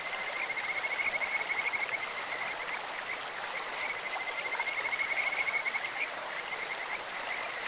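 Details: Kajika frogs croaking by a clear-flowing stream, a bird- or insect-like voice: two long bouts of quick, high-pitched pulsed trilling, the second swelling around five seconds, set against broad, steady stream noise.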